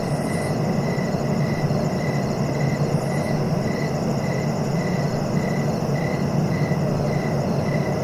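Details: Cricket song of regular short chirps, roughly two per second without pause, under a continuous low-frequency rumble; a faint high hiss briefly near the start.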